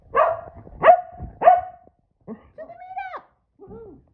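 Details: Boston Terrier and Keeshond, two excited pet dogs indoors reacting to exciting news: three sharp bark-like yelps followed by drawn, wavering whines and a final short whimper.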